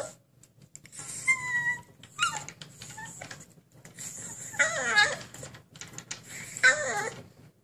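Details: Husky puppy in a cage wanting to break out, indoors: a run of high, wavering whines and squeaky yelps, some bending downward, in bursts separated by short pauses.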